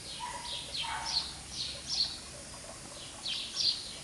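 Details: English Cocker Spaniel puppies giving high, thin squeaking whimpers in short repeated bursts, several overlapping, with a lower drawn-out whine near the start and faint background hiss.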